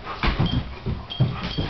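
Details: Two Great Danes, foster dog Snickers (Nick) and Rylee, playing together on a couch indoors: a run of short, low, rough grunting growls in quick bursts, roughly five across under two seconds, with soft rustling between.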